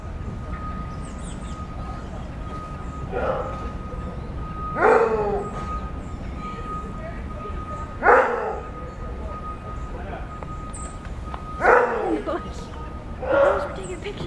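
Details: A maned wolf (Chrysocyon brachyurus) at the National Zoological Park, Washington, D.C., at dawn gives deep, hoarse single roar-barks spaced a few seconds apart over a steady background hum.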